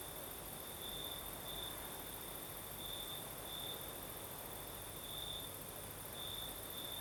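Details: Southern Crimea at night, crickets singing in a breeze: an unbroken high trill with a few stronger surges spaced roughly a second or two apart, under a dense even wash of wind noise.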